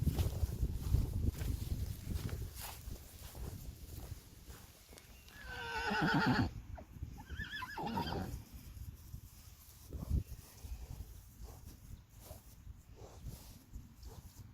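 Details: Friesian horse neighing among a herd with foals outdoors: a loud harmonic whinny around six seconds with a second shorter one near eight seconds, over hoof clatter and rustling noise.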